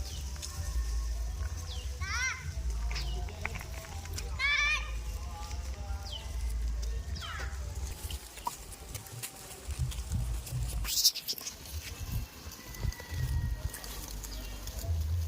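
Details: Goats on a village goat farm: two loud, quavering bleats with a wavering, vibrato-like tremble sound in the first five seconds, then quieter scattered knocks and clatter over a steady low rumble.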